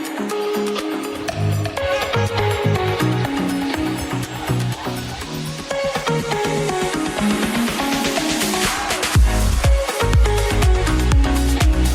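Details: Upbeat electronic dance music with a strong beat plays throughout, with a brief faint voice; no barking or other animal sounds come through.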